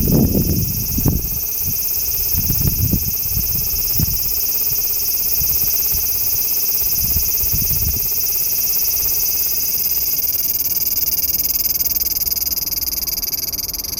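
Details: Large brown cicada (aburazemi) singing while hidden beneath a branch of a loquat tree: an unbroken, sizzling, frying hiss held at steady loudness throughout, with a few low thumps and rumbles during the first seconds.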